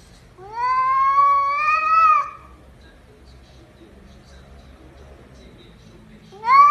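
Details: Pet cat indoors giving a long drawn-out meow that rises then holds steady for about two seconds, with a second meow starting at the end; a woman talks softly in the room.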